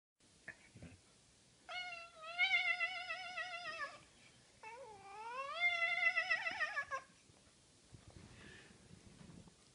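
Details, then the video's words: A cat meows while held and shaken by a man, producing a wavering, warbling singing effect; two long drawn-out meows with quivering pitch, the second sliding upward, in a quiet indoor room. "Man Plays Cat Like an Instrument"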